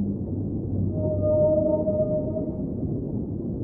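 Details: Underwater whale song from a relaxing ambient soundscape: one sustained, smooth mid-pitched moan with faint higher overtones, swelling and fading over about a second and a half, set against a steady low watery hum.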